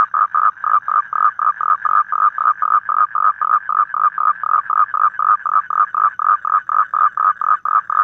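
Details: Evening toad call recorded outdoors in the wild, a rapid series of even, mid-pitched rasping pulses at roughly four to five per second, continuing without pause over a quiet background.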